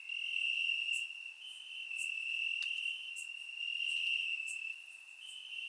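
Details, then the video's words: Night chorus of crickets in Bulgarian grass on a warm summer evening, surround-microphone recording; an unbroken high trill with slight shifts in pitch and gentle rises and falls in loudness, plus a few faint ticks. "Cricket Sounds - Crickets Chirping at Night"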